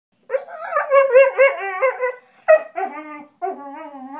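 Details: A German Shorthaired Pointer "singing" while playing gives a sustained, quavering howl with wobbling pitch, then after a brief pause two shorter wails that slide downward and fade.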